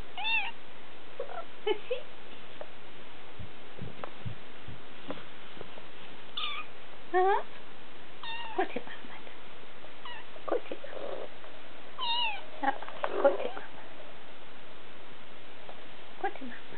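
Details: Three-week-old Siberian kittens in July 2008 mewing repeatedly: high, clear, harmonic cries, several rising then falling, coming every second or two, with soft thumps and a low background hiss.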